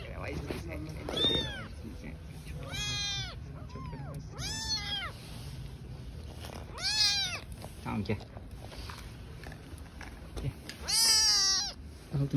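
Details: Newborn street kittens living outdoors with their mother cat, giving a series of high, arching harmonic meows, several spaced apart over about twelve seconds, with a low background hum and a Turkish-speaking woman's voice nearby.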